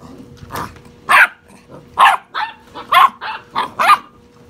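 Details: Puppies aged six and a half weeks squabble playfully, firing rapid high-pitched yaps about once a second, each bright and scratchy, with a faint hum behind them.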